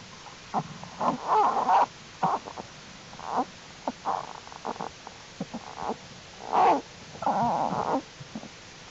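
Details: American black bear cubs of Jewel in her winter den on January 31, 2012, active during unusually warm weather: bursts of nasal, wavering squalls and short whimpers, broken by brief pauses, in a quiet enclosed space.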